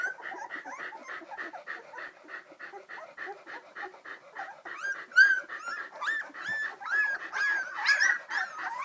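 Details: Squeaking and whining from three-week-old Samoyed puppies walking around near St Louis, Missouri; steady soft chatter of short squeaks, then louder drawn-out upward whines in the second half.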